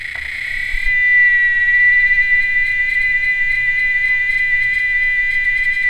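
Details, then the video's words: Cicada producing a harsh, noisy buzz that settles into a clear, steady, high-pitched whistle-like drone held unbroken to the end. "O Canto das Cigarras"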